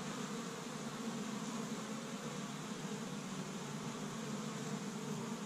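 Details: Spring activity at an established honey bee hive in Michigan on the first warm day, bees gathering tree-bud pollen; a thick, even hum of countless wings with no pauses.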